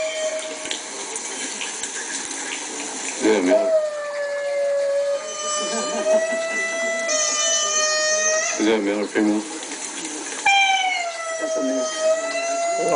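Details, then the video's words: A pet Chihuahua, Bambi, howls along to lemur calls from a laptop. Drawn-out, even-pitched howls last several seconds each, interrupted by brief noisy bursts, with the lemur recording sounding underneath. "Chihuahua Howling at Lemurs Calling"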